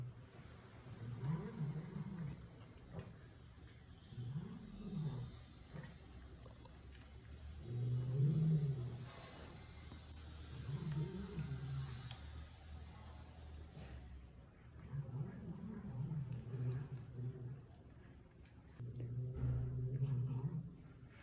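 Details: While eating, a cat protects its food from its daughter with repeated low moaning growls, each swelling and falling, spaced roughly every three seconds across the recording, with light background clicks indoors.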